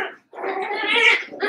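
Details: Cavalier King Charles Spaniel puppies, eight together after Daisy's six were merged with Robin's two, playing indoors; a loud, strained whining growl with clear harmonics starts briefly, pauses, then swells and holds for over a second before dipping and rising again.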